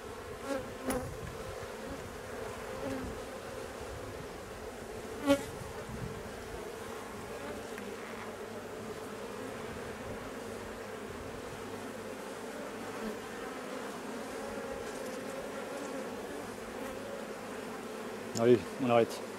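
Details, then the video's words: Honey bee colony with drone-laying workers, during its replacement, giving a steady low droning hum that holds evenly throughout, broken only by a few sharp taps and knocks near the start and end. "Remplacement des bourdonneuses"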